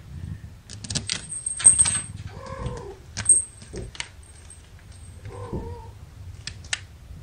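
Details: Young domestic kittens, from a litter of five born April 14th to mother cat Gamora, held in a lap during a May 2018 live broadcast; two short, high, slightly falling mews a few seconds apart amid rustling, clicking handling noise.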